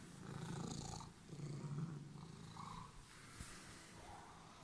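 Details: Domestic cat with emerald eyes purring while waiting for its owner; a steady, low rumbling purr swells and fades in long pulses, with a soft click and faint rustling in the background.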